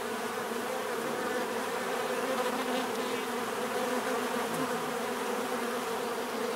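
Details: Natural bee buzzing forms a constant, dense hum, low humming bands holding steady throughout while individual wingbeat tones waver slightly within the swarm sound.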